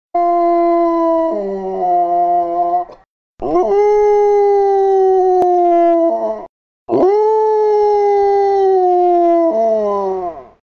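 A Basset Hound gives three long, mournful howls, each holding a steady pitch before sliding down.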